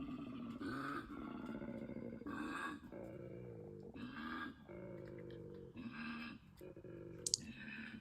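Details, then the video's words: A koala's mating call in Australia: deep rasping snore-like grunts rising into loud belches, repeated in long pulses, demon-like in the night. "um yeah so red light and hopefully the sound comes out okay on the next one um this is a mating call of a koala"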